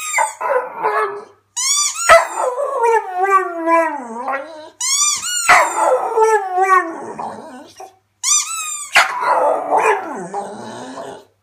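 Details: A Staffordshire Bull Terrier in a bow tie 'sings' for onlookers: three drawn-out howls, each opening with a sharp high yelp and sagging into a lower, wavering moan, separated by brief silences, with some rough barking tones.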